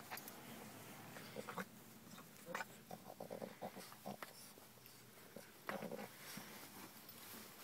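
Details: A female Boston Terrier grunts, snorts and whines in short, agitated bursts, protesting in distress about her winter jacket.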